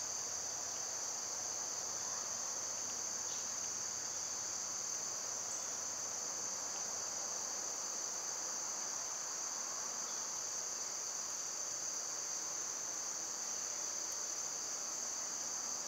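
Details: Cicadas singing in summer, a constant piercing high whine sustained evenly throughout, with a softer insect buzz below and no other distinct voices.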